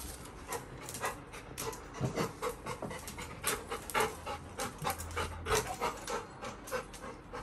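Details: Little John, a Labrador Retriever puppy, pants rapidly and unevenly indoors as his owner unboxes a VR headset. Soft breathy bursts repeat roughly every second or two, with a quiet room hum underneath.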